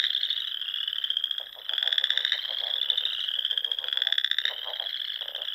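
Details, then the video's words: Spring frog chorus at dusk in the rolling Sandhills dunes of Nebraska, beside small lakes and ponds: a dense, continuous high trill with overlapping pulsed croaks swelling and fading every second or so. "RELAXING SOUNDS OF FROGS"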